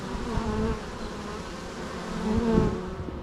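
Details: Loud, dense buzzing of bees with wavering pitch as insects move nearby, the hum swelling toward the end.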